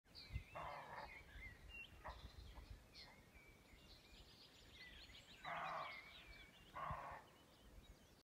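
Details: A deer calls loudly through the forest with harsh, bleating calls, with birds chirping in the background.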